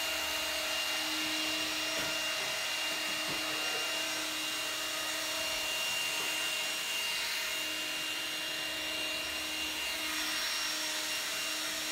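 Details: Steady broadband hiss like a hair dryer or vacuum cleaner runs throughout, with a faint held tone and a few soft knocks, and no animal voice.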